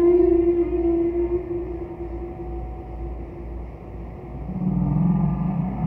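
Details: Song units of a distant humpback whale, recorded by Roger Payne during a 'Bel Canto' era of whale singing: a sustained mid-pitched tone trails off into quiet, then a low throaty moan swells near the end over background rumble.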